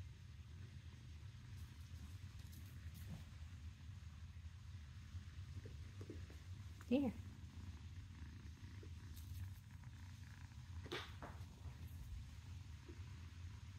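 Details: Dewey, a happy little kitten, purring indoors: a low, steady, pulsing rumble runs through the whole stretch, broken by a brief human voice near the middle and a few soft knocks and clicks.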